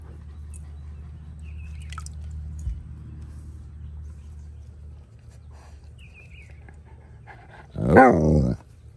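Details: Husky floating in a pool with a Malamute on a morning, giving one short, loud, broad vocal burst near the end after a stretch of quiet hum and faint bird chirps.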